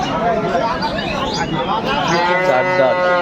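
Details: Dairy cows with calves at the Aftabganj cattle market in Dinajpur, Bangladesh, on 9 December 2025; overlapping harmonic moos under constant market chatter and men talking about prices.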